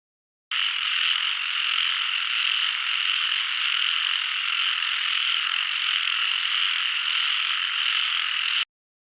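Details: Frogs calling in a dense, unbroken chorus of high croaks and trills that holds steady for about eight seconds, then stops abruptly, with no other sounds.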